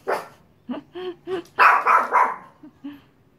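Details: A Yorkshire Terrier gives a run of short, high, yappy barks, with a louder burst in the middle, after a door slams shut in the wind; recorded 16 June 2016.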